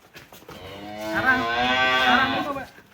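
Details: Giant cattle lowing cheerfully as it leaves its pen in Indonesia: one long, loud harmonic moo rising and swelling for about a second and a half, then fading, with faint background noise.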